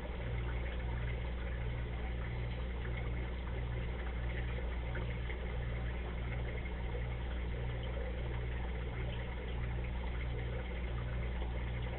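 A steady low engine drone with a pulsing mechanical throb, like an idling vehicle or pump; no animal sounds.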